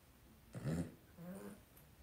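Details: Two-week-old blenheim Cavalier King Charles Spaniel puppy from a litter of five in an indoor puppy pen gives a short, low, grumbling whimper lasting about half a second, followed by a softer, lower second note in a quiet room.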